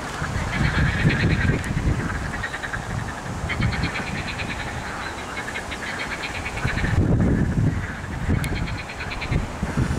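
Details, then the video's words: Frogs croaking on 8 May 2021, at a site also holding mallards; rapid pulsed, rattling croak trains about a second long repeat through the clip over a heavy low wind-like rumble. "rechot żab"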